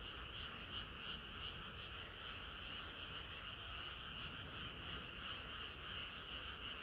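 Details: Hot summer night with a dense frog chorus, the croaking merged into a steady, faintly pulsing drone over a heavier low-frequency rumble.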